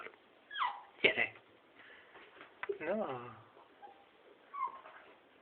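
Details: Balu, a young beagle, lets out a wavering, pitch-bending whine in the middle of the clip after a sharp yip, mixed with encouraging Hungarian words spoken indoors.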